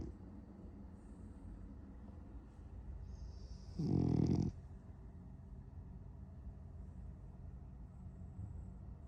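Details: A French Bulldog snores in its sleep while dreaming of chasing cats, a low, steady breathing rumble broken midway by one loud, rough snort before the quiet snoring settles back in.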